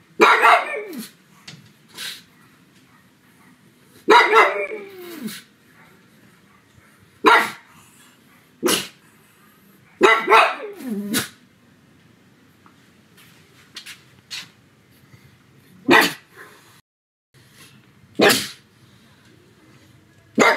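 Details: A pug named Sebastian barks loudly at home on a sunny afternoon, sharp bursts, some with a strained, yelping edge, separated by short pauses.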